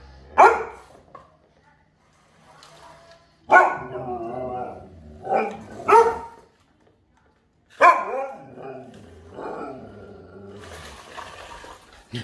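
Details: Huskies scared by their owner at home, giving loud sudden yelping barks followed by drawn-out whining, talky howls that rise and fall in several bursts separated by silences.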